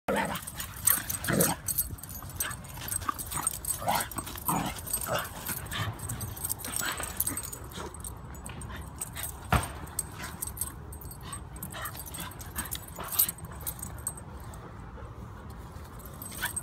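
A Basenji makes a run of brief, uneven yelps and whimpering cries, bunched in the first half and sparser later. Scuffles, thumps and low rumbling noise run beneath the calls throughout.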